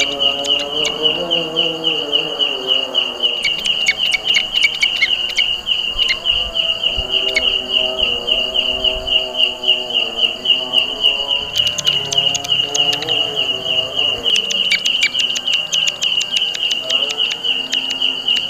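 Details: Belalang kecek grasshopper, an insect fond of jackfruit trees, producing a very loud, sustained high-pitched pulsing buzz roughly four beats a second, with bursts of dry clicking and softer lower background sounds.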